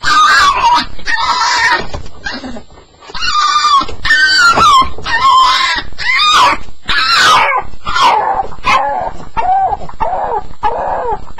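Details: High whimpering yelps from a Staffordshire Bull Terrier on its first night, described as the sound of the nightmare: repeated rising-and-falling cries roughly once a second, a few lower moaning notes near the end.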